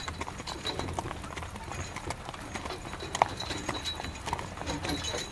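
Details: Horse hauling a carriage in the rain, hooves striking in a quick, steady clip-clop while rain hisses throughout, with one bright squeak midway and soft creaks.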